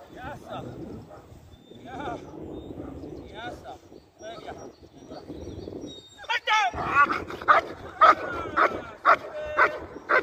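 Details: German Shepherd in IGP competition training: after several seconds of a man speaking, a run of sharp, loud barks starts near the six-second mark, coming about once a second with short gaps.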